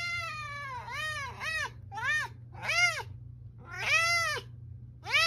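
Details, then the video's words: Domestic cat meowing loudly indoors: a run of five drawn-out, arched, strongly harmonic meows, each rising then falling, some long and wailing, others shorter, with a steady low hum underneath. "Funny Cats and Kittens Meowing"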